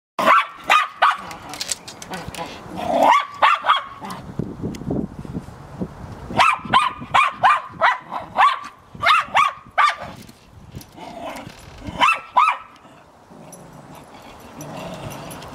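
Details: A purebred Cairn Terrier barks in quick, high yapping bursts, with wind and a door heard in the background, recorded in 2012.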